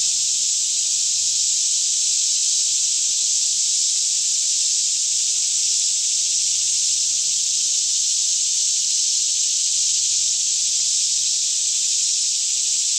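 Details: Cicadas singing in a daytime chorus all around a lush green Kentucky forest near Franklin, about 10am in fairly still air, recorded in stereo; a dense, unbroken high buzzing hiss holds steady throughout, over a faint low hum.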